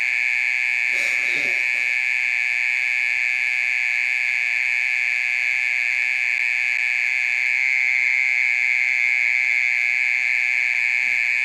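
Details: Mole cricket calling in the middle of the night, said to keep going for over thirty minutes: a steady, unbroken, high-pitched trill holding one even tone throughout, with a brief rustling knock near the start.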